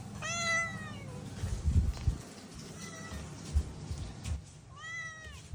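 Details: Mii-san, a talkative pet cat, gives drawn-out harmonic meows that slide downward, one at the start and a shorter pair near the end, with a faint muffled call between and quiet household room noise.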